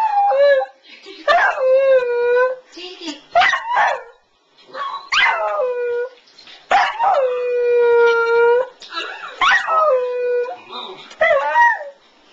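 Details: West Highland White Terrier named Bill, indoors, howling while watching a playback of his own and Ted's earlier howling. Drawn-out, tonal howls that dip and then hold steady, with short yips between them and a person speaking quietly.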